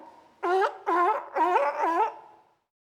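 A sea lion gives four hoarse, honking roars in quick succession, each rising then falling slightly.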